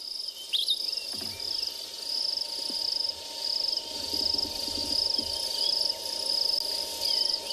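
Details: On a wet, muddy morning safari drive on 19 March 2021 at a South African game reserve, a crested grasshopper makes a steady, grating, high buzz that pulses unevenly, much like a cicada.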